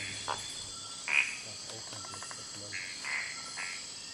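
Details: Night frog calls from Kubah National Park, brief clicking-rasping notes spaced about half a second to a second apart, with a constant high-pitched insect drone behind them.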